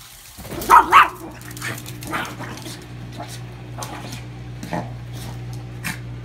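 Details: Lucy, a pet dog, barking at the washing machine, her daily nemesis: two sharp, loud barks in quick succession near the start, then softer scattered sounds over the machine's steady low hum.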